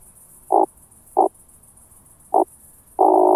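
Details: Meconema thalassinum, the oak bush-cricket, recorded at Starnberg, Germany on 18 July 2023 through a Pettersson D 100 ultrasound detector; three brief separate bursts spaced irregularly, then a sustained droning roll begins, quiet background.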